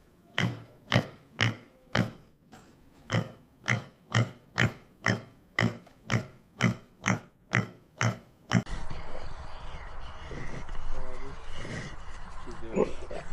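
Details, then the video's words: Pig gives steady low grunts about twice a second for some eight seconds, then the grunting stops and a rustling, noisy background takes over. "Meet the Pig! 🐖 Hear the Oink Sound"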